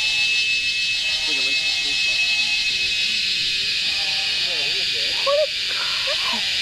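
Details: An insect at Wat Phrathat Doi Suthep on a mountain near Chiang Mai, northern Thailand, gives a loud, steady, high-pitched electric buzz, a mating call the recordist believes females give to males, with an answering call.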